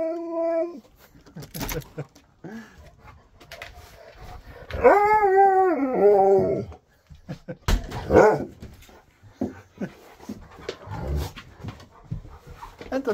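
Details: A husky at its new home while its best friend comes to stay gives a drawn-out, wavering harmonic howl-whine of about two seconds, rising and falling in pitch, after a short tonal note and between bursts of human talk and background music.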